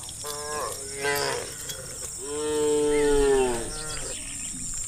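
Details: Herd of wild cows lowing across the countryside as they call one another to roam. A short moo is followed by a long, strong, steady moo that swells and fades, with a faint high hiss behind.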